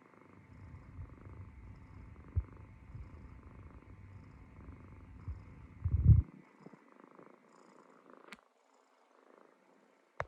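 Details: A Munchkin kitten dozing on its owner's stomach gives a low, continuous rumbling snore for six seconds, ending in a louder burst, followed by near silence broken by two faint clicks.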